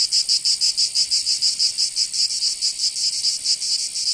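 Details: Cicada song on a summer day in Provence, southern France: a piercing metallic buzz pulsing in rapid regular beats, steady and loud.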